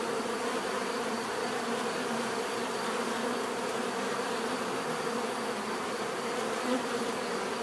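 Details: Natural bee buzzing, many insects together producing an unbroken droning hum with faint wavering tones over a steady rich texture, no other sounds standing out.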